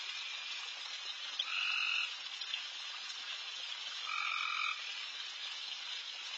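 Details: Frogs crowding a backyard late at night, very loud: a steady hiss-like chorus of high calls, with two separate louder half-second notes from a nearer frog, each holding two level tones.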